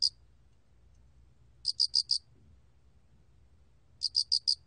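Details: Chirping of the cricket known in Korea as 알락귀뚜라미, recorded in 2020 by the National Institute of Biological Resources: short bursts of four bright, evenly spaced pulses recurring at roughly two-second intervals against quiet background.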